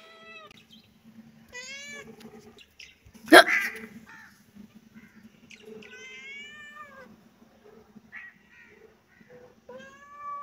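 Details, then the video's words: Kitten mewing in short, thin, scattered cries among small clicks and a sharp thud near the middle, with a steady low hum throughout the room. "baby kitten 🐈 cute meow"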